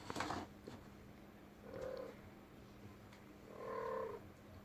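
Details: Female pet cat indoors in a room, making noise: two short, mid-pitched, slightly buzzy calls about two seconds apart, the second longer and louder, over a steady low electrical hum and a brief knock at the start.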